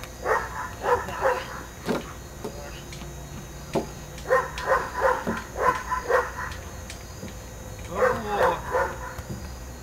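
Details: German Shepherd Eros at Aaron's school of dog training, barking during training: three clusters of sharp, rapid barks near the start, middle and end, with people talking in between.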